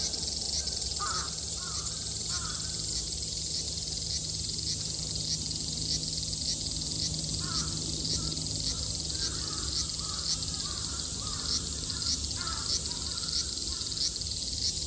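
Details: Cicadas in Japan in summer 2022 fill the air with a dense, continuous, high-pitched buzzing while crows caw in the background.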